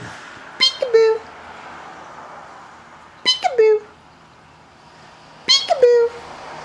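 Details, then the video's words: Tundra, an almost-14-year-old Siberian Husky, indoors and answering a peek-a-boo game. Three short vocalizations come about two seconds apart. Each starts with a sharp burst, then a harmonic whine slides down into a held, falling 'woo'. A person's voice mixes in. "Husky hates Peek-A-Boo"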